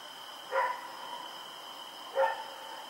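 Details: Rex, a dog running around at night on Oct 7, 2018, gives two short, hoarse barks about a second and a half apart over a steady high electrical-like whine.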